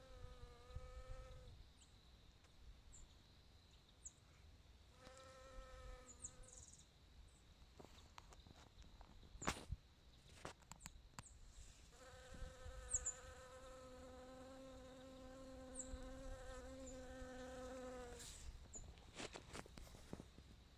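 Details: Bee foraging for nectar and pollen. Its droning buzz comes in separate bursts that rise and fade as it moves about, with a longer steady stretch near the end and scattered clicks and knocks between.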